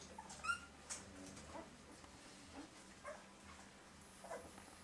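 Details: Fox Terrier puppy giving a brief high, squeaky whimper near the start, followed by a few faint, short whines spaced over the next seconds in an otherwise quiet indoor room.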